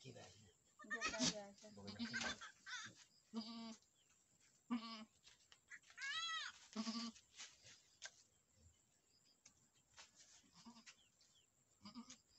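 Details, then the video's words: Boer goats on a farm in Nepal, where a first-time doe has given birth to a male kid: several short, nasal, wavering bleats rise and fall through the first seven seconds, with people talking and handling noises. "boer goat fram in nepal"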